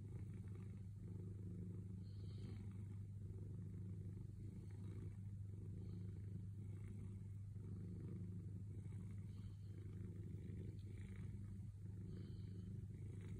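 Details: Domestic cat purring patiently while waiting for petting: an unbroken low, throbbing rumble with a fast even pulse, quiet and continuous throughout, with only faint soft rustles above it.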